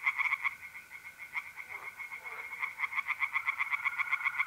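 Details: Tree frogs singing in a pond on an April night in north-east Italy, brisk repeated croaks several per second from multiple frogs, over a constant high trill of mole crickets.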